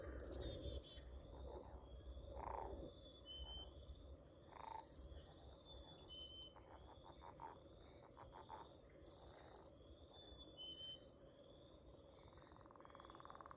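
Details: Frogs singing outdoors, a busy chorus of short repeated croaks and trills overlapping, with higher chirping notes scattered above and a steady low rumble underneath.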